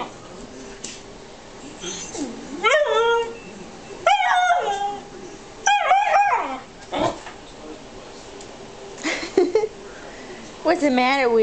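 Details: Young Alaskan husky Zoey, aged three and a half months, complains about Matty the morkie's loud barking. Short, rising yelping whines come in separate bursts about every one to two seconds. A few quieter squeaks and some soft human speech are heard.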